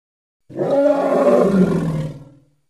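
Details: Single drawn-out, harmonic bellow from a hippopotamus in Congo, steady for about a second and a half, then sinking lower and trailing off.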